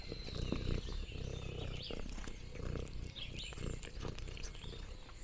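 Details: Lexi the orange tabby cat exploring a farm in the countryside, with contented low purring in repeated rumbling bursts and crunching noms, plus bright bird chirps and twitters in the distance.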